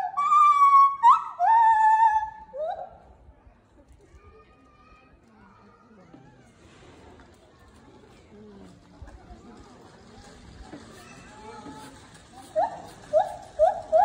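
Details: At Asahiyama Zoo on 26 September 2019, a white-handed gibbon gives loud, hooting calls that swoop up and down in pitch, with murmuring voices between.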